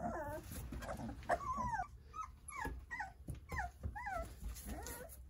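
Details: Jindo puppies, nine of them, playing under their mother's care: a run of short, arched squeaky whines repeated about every half second, mixed with soft shuffling noises.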